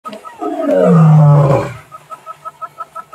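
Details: Male lion, known as Nwaswitshaka or Ndhzenga, recorded on 18 March 2024: one long, deep, swelling roar that falls in pitch and then fades into short rhythmic grunts, with faint music.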